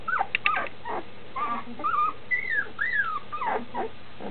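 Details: Standard schnauzer puppies close to two weeks old, eyes opening, calling for their mother outside the whelping box; a short run of thin squeaks and arched, sliding whines, several pups overlapping.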